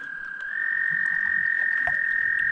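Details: A steady, high musical trill held on one even pitch from dozens to hundreds of toads mating in the water along a lake shoreline during spring in the wilderness.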